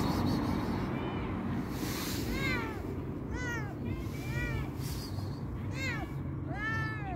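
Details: Fluffy-furred stray cat crying from hunger, giving five or six short arched meows, each rising then falling, spaced about a second apart over a loud low rumble of background noise.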